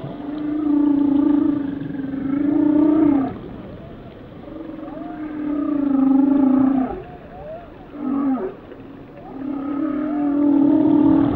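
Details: Whale song of long sustained moaning tones rich in harmonics, several drawn-out phrases of about three seconds separated by short wavering calls and brief pauses, with soft underwater hiss beneath.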